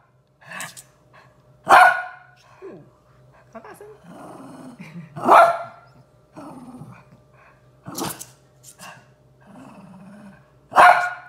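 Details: Pair of pet Shih Tzus playing around a new dog bed indoors. Loud barks ring out roughly every three seconds, broken up by low rumbling growls in between, with light rustling and scuffling.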